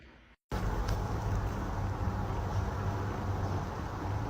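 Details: Low steady rumble of a running vehicle engine with outdoor background noise and no animal voice.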